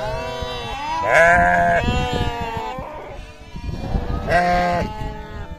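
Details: Sheep or lambs on a farm bleat: two long, wavering, nasal cries with a trembling voice, over quieter bleats and farmyard murmur.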